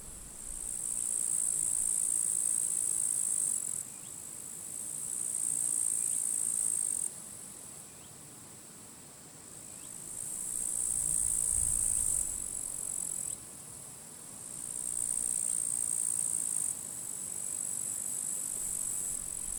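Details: Grasshoppers in withered grass at a forest edge on a sunny late-July summer day with strong wind. A high, dense, hissing buzz switches on and off in blocks of a few seconds, with faint low wind rumble beneath.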